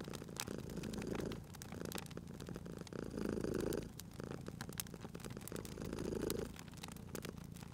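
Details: Cozy fireside purring from a cat: a low vibrating drone that grows louder on each breath, three swells about two and a half seconds apart, layered with crackling wood and occasional sharp pops.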